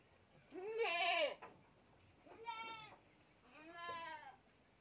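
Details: Kid goat drinking milk from a bottle lets out three loud, nasal bleats about a second apart, the first strongest and slightly falling, the others shorter and steadier, with little background noise.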